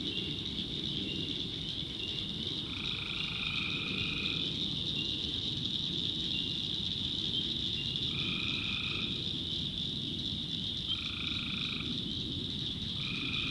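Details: Tree frogs in a nighttime North Carolina backwoods swamp: a continuous piercing chorus, overlaid by lower droning calls of one to two seconds that come back at irregular gaps, with low rumbling underneath.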